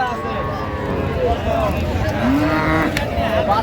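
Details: Cow with calf at Raniganj cattle market in Dinajpur on 23 October 2025 gives a short, low drawn-out moo that climbs slightly in pitch near the end, heard over steady market chatter and men's voices.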